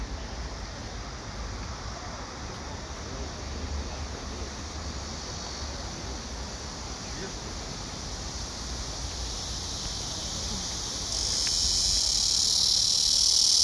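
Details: Blackish cicadas drone in a steady, shrill, hissing chorus that swells louder toward the end, recorded on 31 August.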